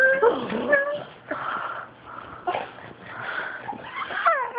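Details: Fawn pug Gweeb indoors, teased by black pug Jezzy, making funny Wookie-like noises: wavering, moaning whines that swoop up and down, with wheezy breaths between them, recorded on an Android phone.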